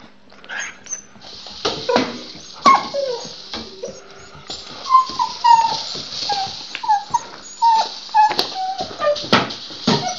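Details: Luna the dog, busy with her rattle ball, makes a run of short, high whines that drop in pitch, repeated every half second or so, with crisp clicks and rattles from the ball throughout.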